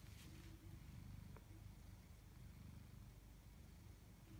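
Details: Pet tabby cat purring indoors: a steady, low, throbbing rumble runs through the whole recording, with a faint brief click early on and no other clear sounds.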